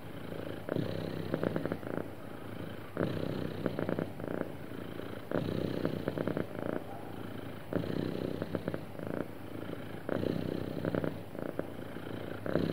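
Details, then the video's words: Happy domestic cat purring smoothly and steadily, a low rumbling drone that swells and eases in breathing cycles about every two seconds, with no other sounds. "Happy Cat Purring Smoothly"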